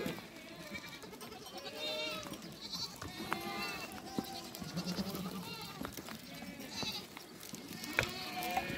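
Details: Mother goat and her kid calling as they reunite, with several wavering, harmonic bleats repeated throughout, some higher and thinner, others lower, mixed with a person talking and background music.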